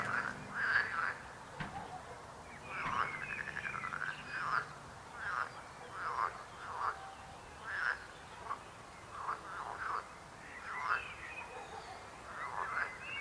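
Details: Frog croaking in a chorus: short pulsed croaks around the middle range, repeated roughly every second, with overlapping callers and a few higher rattling notes.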